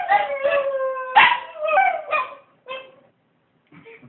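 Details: Dogs howl in short overlapping wails that rise and fall, fading out after a few seconds, followed by a brief silence and a faint, quieter sound at the end.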